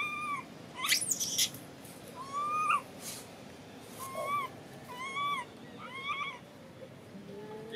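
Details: Baby monkey crying loudly and angrily after its mother refuses to let it nurse and does not comfort it; a series of whistled, rising then falling wails about every second, some with sharp high squeals, over a soft hissing background.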